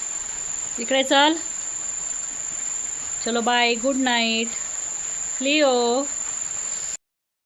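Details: Leo, a German Shepherd, plays while holding a water mug in his mouth. He makes three drawn-out, tonal whining vocalizations that arch in pitch, with short pauses between them. A steady high electronic whine runs underneath throughout.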